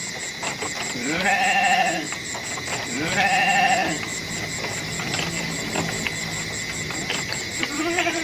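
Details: Goat bleats: two shaky, mid-pitched calls about two seconds apart, then a softer one at the end. Clattering knocks and a steady high hum fill the gaps between calls.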